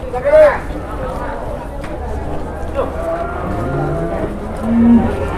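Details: A very large cow weighing 826 kg, kept as livestock in Indonesia, gives a low, drawn-out moo that rises and then falls, while men talk and laugh nearby outdoors.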